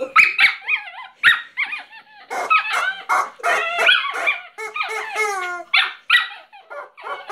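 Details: A pet dog named Griffon, either afraid of or excited by a new squeaking rubber chicken, gives a rapid run of high, wavering yelps and bark-like cries with short gaps between bursts, growing more frantic.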